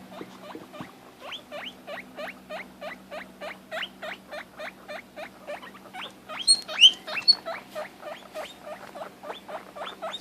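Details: Pet guinea pig squealing because she cannot see her sister and wants to be by her; steady run of short rising wheeks, about three per second, with a few higher piercing squeals near the middle.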